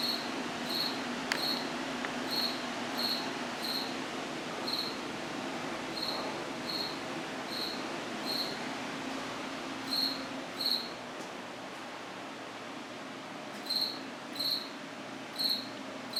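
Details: A cricket calls inside an apartment washroom around 9:05 at night, September 8, 2024, giving about twenty brief high chirps, often in pairs, at an uneven pace with pauses, over a constant background hiss and a couple of faint clicks.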